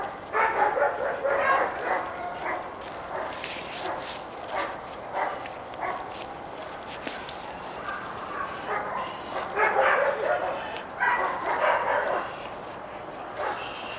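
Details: Kali, a six-month-old pepper-and-salt Giant Schnauzer puppy registered as ATLACAMANI Gümüş Sakal, barks in quick, irregular bursts, with brief pauses between runs of harsh, mid-pitched yaps.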